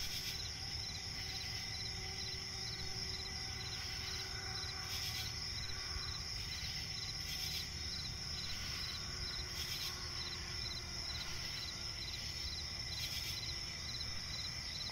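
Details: Crickets chirp in a night forest by a swamp, a steady shrill trill with evenly spaced pulsed chirps, a faint lower droning tone and several short noise bursts, over low rumbling background.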